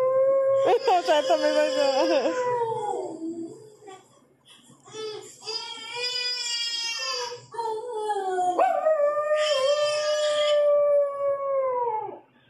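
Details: Shih Tzu dog watching TV, letting out long sustained howls, first wobbling then steady and level, three drawn-out wails separated by brief breaks, ending in a long even howl that fades.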